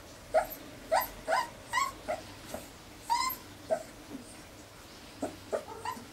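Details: Whimpering from four-week-old Irish Terrier pups, filmed 29 January 2011: brief upswept squeaky cries come in irregular bursts, several close together then quieter gaps.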